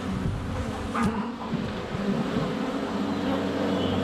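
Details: At a hive entrance on a sunny February day, honey bees swirl around a GoPro Hero 7 Black: a thick, steady buzzing drone with whining tones rising and falling, plus a quick tap near one second.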